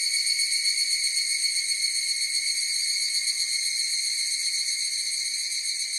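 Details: Higurashi evening cicadas sing together as a continuous piercing, buzzy-tonal ring. Stacked high bands run without a break. The chorus is loudest at the start and fades slightly toward the end. Nothing else is heard.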